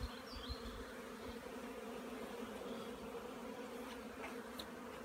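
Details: Honey bees from hive colonies flying out on 15 April 2016, when sunshine returned after more than a week of rain; a steady low droning hum fills the background, with a few brief high bird chirps early on.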